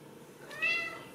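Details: Ragdoll kitten, one of a home-raised litter at a cattery in central Kansas, gives a single thin high meow, arching briefly, clean harmonic tone over quiet indoor room noise.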